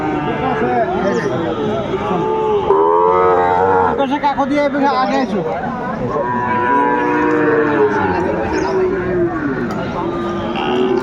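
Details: At Aftabganj cattle market in Dinajpur district, Bangladesh, on 12 February 2025, Sahiwal bulls give rich, curving moos in two main bouts, each about two seconds long, over steady chatter and noise from the crowded market.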